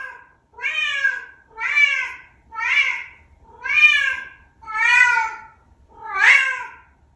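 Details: A vocal Bengal cat makes an unusual sound, a run of loud, rich meows, each arching up and down, about one per second.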